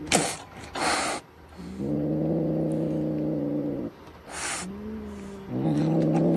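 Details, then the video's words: Angry cats at a cat cafe, growling just before their first taste of a lickable treat: long, low, droning growls with a strong harmonic buzz, two sustained bursts and a shorter one, between sharp noisy snorts. "Like a low growl. Do you hear it? The cats. They're mad kitties."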